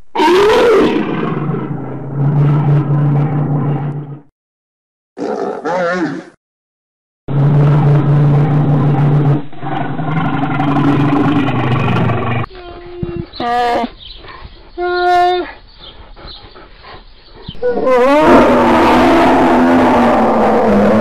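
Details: Long run of bear vocalising: a rising moan at the start, stretches of deep rumbling growls broken by brief silences, then higher, tonal bawling calls and a final harsh roar.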